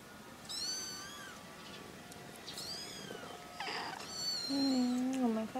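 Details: Three kittens with their mother cat: thin, high wavering meows come in short bursts, then a lower, drawn-out meow bends downward near the end.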